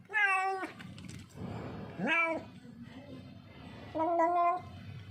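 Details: Lost, hungry and thirsty street cat, alone and distressed, giving three loud harmonic meows about two seconds apart, each lasting around half a second, with low background murmur between them.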